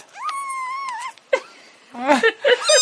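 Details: Foster kitten with the Humane Society, excited at meal time and resisting being fed; a long steady high meow, then several short squeaky mews, while a woman coaxes softly.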